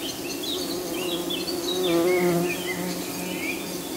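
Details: Buff-tailed bumblebees at their nest, where young queens rest on the lid: a steady low harmonic hum that swells slightly mid-clip, with birds chirping and twittering high above throughout.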